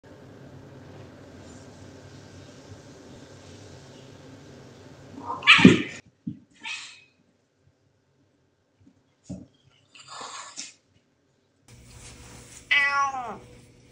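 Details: Several household cats meowing at each other indoors, one being picked on: a low steady hum, then a sharp loud cry, scattered short meows, and a final drawn-out falling wail.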